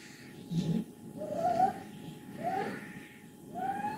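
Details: Wassilissa, a contented 14-year-old female cat from Leutkirch im Allgäu, gives short rising squeaky calls about once a second over a steady low purring rattle.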